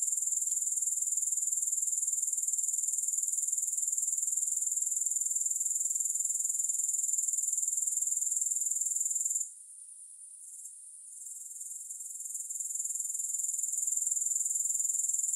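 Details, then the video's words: Grasshoppers with no music: a steady, shrill, high-pitched pulsing trill that runs unbroken, then drops away abruptly for about three seconds and swells back to full strength. "Grass Hopper Sounds"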